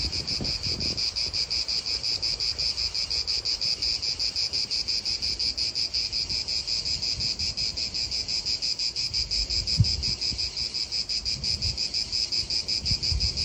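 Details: In an Italian park, cicadas produce a steady piercing buzz with a clear rhythmic pulse near three beats per second, little wind beneath and one brief knock partway through.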